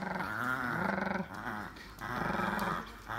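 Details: A male German Pinscher, playing a pulling game, growls in low, rumbling bursts, pausing briefly between two long growls.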